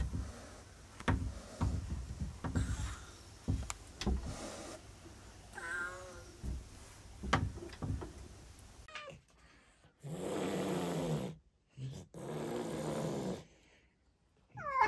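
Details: Chloe, a female rescued cat with a congenital heart condition who had been fearful of people for six years, meows with short arched harmonic calls among indoor knocks, taps and bursts of rustling noise.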